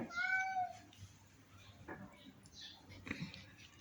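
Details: ['Brief, clear meow from a sick house cat at the very start, steady in pitch and fading after a second, followed by low rustling and room noise.']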